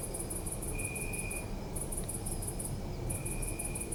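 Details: City park at night with crickets: short bursts of quick high pulsed chirps, pausing twice, with a sustained lower tone underneath and a steady low drone of distant urban noise.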